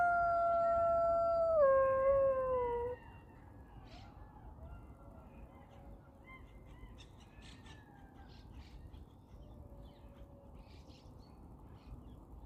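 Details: Golden jackals howl during courtship in Yarkon Park: a loud, clear howl that drops in steps, followed by fainter wavering howls.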